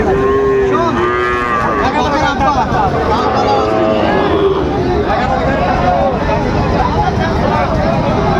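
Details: A Sahiwal bull calf at the Raniganj livestock market in Dinajpur, Bangladesh, 6 June 2024, lowing in short, level moos, with constant market din, chatter and engine-like rumble behind.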